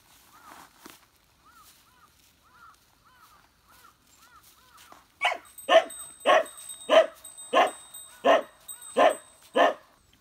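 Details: Beagle visit on Amami Oshima, Japan, where Gonta's newborn nieces are seen: soft arched whining yelps come in short series, then loud, sharp barks follow about one every two-thirds of a second.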